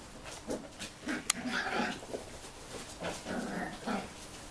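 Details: Tibetan Terrier puppies, six weeks old, at the Tingsha Bells kennel, Hungary, litter born 2 November 2015; short high whimpering squeals repeat several times a second, uneven, with a sharp click and light rustling.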